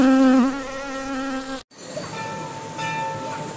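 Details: Honey bees in Sri Lanka give a steady, low droning buzz with a rich, rasping hum of overtones.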